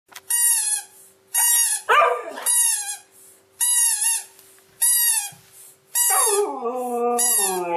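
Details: Pet Siberian Husky vocalizing with funny behavior: a series of loud, tonal, howl-like yelps about a second long, each bending in pitch, separated by short pauses, ending in a longer wavering moan.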